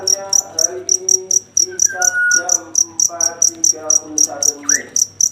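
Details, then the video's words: Chirping cricket at night, rapid high-pitched pulses about four per second running steadily beneath prominent lower voice-like harmonic sounds and a short rising note. "Suara jangkrik ngerik di malam hari"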